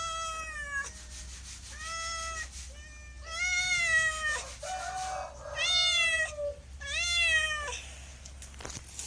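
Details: Pet cat calling with about six loud, sustained meows, a few rough and wavering, steady low hum underneath.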